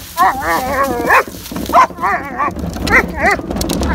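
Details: German Shepherd going after garbage can wheels as a man fetches the can from the street; a run of quavering, whiny bark-growls, then short yelping barks over steady rumbling wheel noise.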